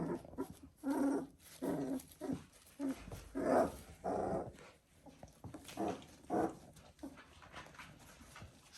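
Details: Border Collie puppies, three weeks old, in a litter: a run of short whimpering and yelping calls, rough-edged and mid-pitched, bursting out about once a second with brief pauses between.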